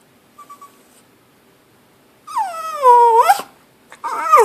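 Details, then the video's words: Pet dog begging for food while its owner eats lunch: a soft short whimper, then a long high whine sliding downward and breaking into a squeaky yelp, followed by another strained whining cry. "Cute dog begging for food"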